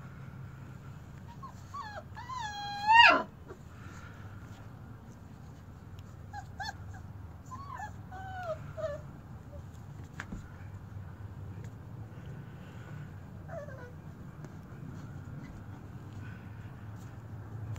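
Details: Four-week-old German Shepherd puppies, including a small runt, give high whimpers and squeaky yips: a loud rising-falling cry near three seconds, then scattered faint bent whines, with low background rumble.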